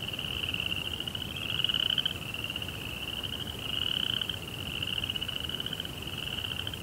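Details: At night in a Japanese Zen rock garden near a koi pond, crickets keep up a high, rapid trill that rises into two louder, brighter swells before settling back, with gentle background hiss.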